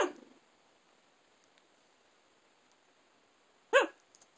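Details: A Shiba Inu, asleep and dreaming, gives a short, muffled yip and later a sharp, high whimpering yelp.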